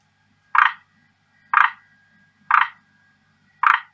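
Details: Male forest green tree frog kept in captivity at home, calling hard to win a female's attention: four rasping croaks spaced about one second apart, each brief and mid-pitched, over a faint steady tone and low hum.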